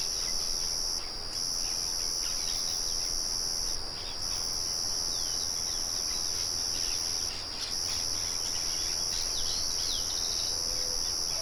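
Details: Crickets keep up a high, continuous ringing trill with three brief pauses. Faint bird twitters sit beneath it, with a low whistled note near the end. The mill's steady murmur fills the background.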